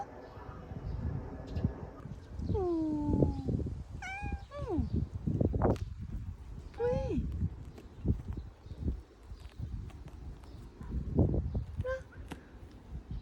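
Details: Friendly cat in a Jeju forest in autumn meowing repeatedly: drawn-out, falling cries and a few shorter ones, with human voices and rustling footsteps close by.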